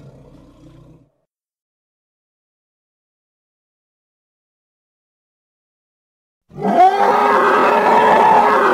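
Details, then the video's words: Hippopotamus (Congo) giving a loud, harsh, broadband roaring bellow that bursts in after a long silence and holds steady to the end, preceded by a brief low rumbling fragment. "Hippo (Congo) Sounds"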